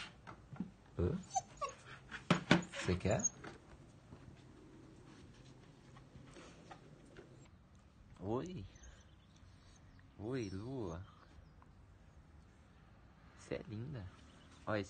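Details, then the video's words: Female German Shepherd puppy, eight weeks old, indoors reacting to her first flute; several quavering, wavering howl-like whines with shaky pitch, preceded by clicks, thumps and a woman speaking Portuguese. "DOG REACTING TO FLUTE - GERMAN SHEPHERD PUPPY DOG FLUTE MEME"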